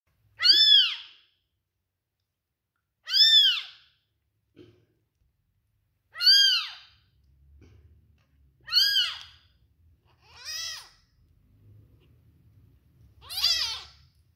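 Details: A newborn silver-point British Longhair kitten gives high, thin arching mews, repeated every couple of seconds.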